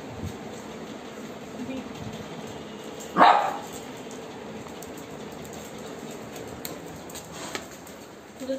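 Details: Lhasa apso and Labrador dogs playing with a ball indoors; a single short, sharp bark stands out midway, with quiet background noise and people talking in Bengali nearby.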